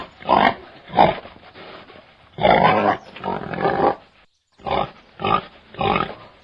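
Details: A domestic pig (Sus domesticus) grunts: about seven rough, nasal bursts roughly a second apart, with one longer squealing grunt in the middle.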